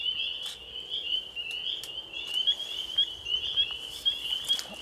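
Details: Spring peepers at a vernal pool on April 12, 2015, with a mating pair among thousands of frogs: a dense chorus of high, shrill peeps overlapping continuously, with brief clicks and human voices nearby.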